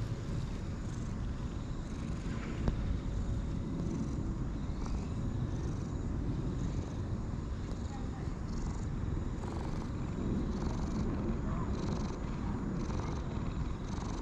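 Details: Sulky-faced light brown and white cat purring as it is stroked and rolls about in delight; continuous low rumbling purr with soft rustling and faint background noise.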